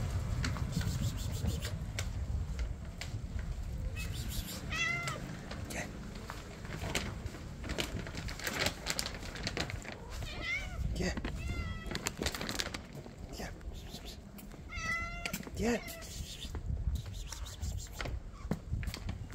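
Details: Several hungry kittens call out while waiting for a late dinner, giving short, wavering meows in scattered bursts between steady clatter, shuffling and background room noise.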